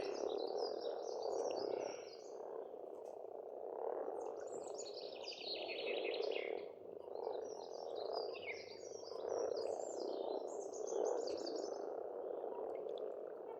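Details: Many frogs croak in a thick, rhythmic spring chorus at a pond in Estonia, while songbirds sing bright, twittering high phrases in repeated bursts over the steady croaking.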